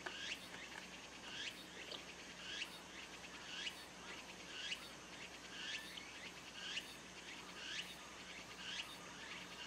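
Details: Tsukutsukuboshi cicada (Meimuna opalifera) singing in the background of a rural garden where sparrows feed at a grape-trellis feeder. Rhythmic buzzy phrases with rising strokes repeat about once a second over steady hiss, with faint sparrow chirps.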